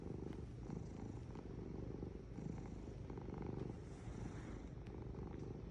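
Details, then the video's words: Short stretch of a cat's purr, an unbroken low buzzing rumble with slight rises and falls in strength. "Purring Cat"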